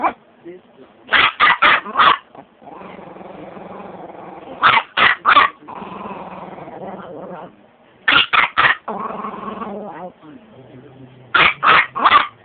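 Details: Chihuahua barks in repeated bursts of three or four quick, shrill yaps, spaced a few seconds apart, with a low humming background between the bursts.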